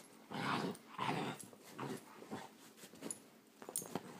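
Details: Great Dane indoors in a small room, held at bay by a staring cat, gives two strong rough grumbling bursts in the first second and a half, followed by weaker, shorter rumbles and faint scuffles.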